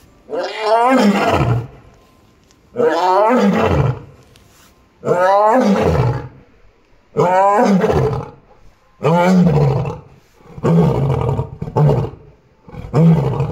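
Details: At Kushiro City Zoo on 15 March 2021, Choco, Japan's oldest Amur tiger at 16 years 9 months, roars repeatedly: six or seven long, rich, descending roars spaced roughly every two seconds, strong and steady.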